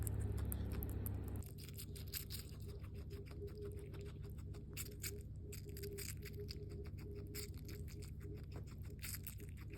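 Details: A hairless skinny guinea pig munches watermelon, its first of the year, with rapid wet crunching clicks, slightly faster and uneven, after a brief louder humming start; a low steady drone persists underneath.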